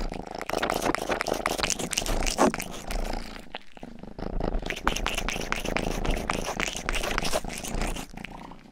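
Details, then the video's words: Rang-i, the family's youngest cat, purs indoors while licking an ear microphone for ASMR. A strong, rumbling purr fills the clip, with rapid wet licking clicks on top and a brief pause near the middle. "ASMR 하는 고양이!(Purring & ear licking sound)"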